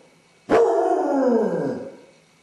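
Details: Single long howl from a Basset Hound alone in the house with separation anxiety, starting sharply and sinking gradually in pitch over about a second and a half.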